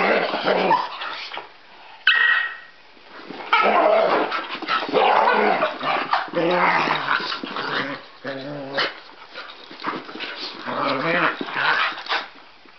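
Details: Two pet dogs, a Cockapoo and a possible Scottie mix, at play: continuous rough growling and snarling with short barks and yips in overlapping bursts, brief gaps near two and eight seconds, and a faint human voice.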